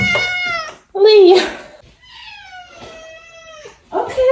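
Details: Domestic cat named Leo, on a leash during a late-night walk, gives drawn-out, slightly falling meows with rich overtones, several in a row, and a person's voice is mixed in between them.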